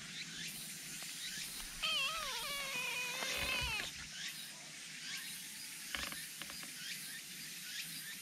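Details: Black cat, described as very eager to come out, giving a wavering, drawn-out meow with a bent, descending pitch lasting about two seconds, amid a background of faint rustling and high hiss.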